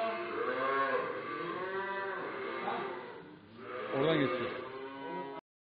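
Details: Lowing of cattle at a livestock market in Kars, Turkey, where calves, heifers and young bulls are offered for sale: overlapping, sustained moos run almost without a break, with one louder, rougher bellow near the end.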